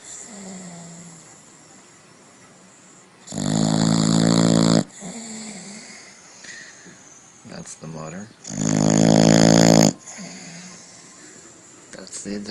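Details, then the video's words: Dog snoring loudly indoors: two long, rough, rattling snores of about one and a half seconds each, separated by softer breathing, while a man comments and laughs. "Dogs Snoring Loudly"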